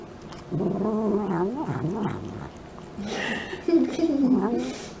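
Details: Domestic cat making noises while eating indoors: warbling, wavering low murmured growls rising and falling in bursts, with a person's voice speaking to the cat nearby.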